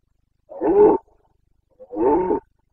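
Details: Carpathian red deer stag roaring in the September 2022 breeding season in the Bucovina mountains: two hoarse, resonant bellows of about half a second each, one second apart, with nothing else audible.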